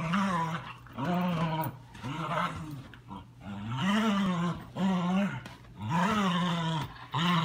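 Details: German Shepherd puppy, ten weeks old, female, playing: drawn-out, harmonic growl-whines that rise and fall in arcs, repeated about once a second with short gaps, in a fairly quiet room.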